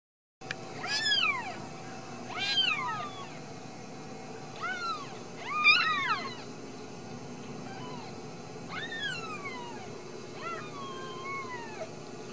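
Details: Ragdoll kittens raised in a home cattery in central Kansas; about six high, arching meows spaced a second or two apart, the first four louder and rising then falling, the last ones softer and longer, over a steady low hum.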